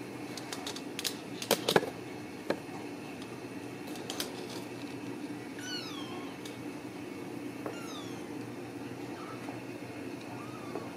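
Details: Ragdoll kittens at a home cattery in central Kansas, raised without cages; several thin, high rising-then-falling kitten meows come in a sparse run after a few sharp knocks, with a steady low hum underneath.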